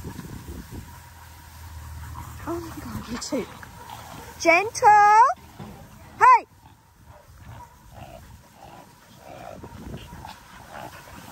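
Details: Young Australian cattle dog puppy at playtime with bigger puppies in a paddock; a burst of high, harmonic yelps midway, then one more short yelp, with a person talking throughout.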